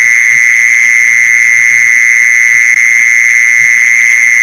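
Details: Steady ringing trill of a mole cricket, a sound used to lure mole crickets; the high buzz never pauses or shifts pitch, with a thin upper overtone and quiet low bumps beneath.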